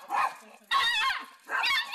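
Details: On a familiar walking path, a dog (Galchi or Jandi) reacts to its male owner returning after a week in hospital with three loud, harsh, rasping barks in quick succession about three-quarters of a second apart.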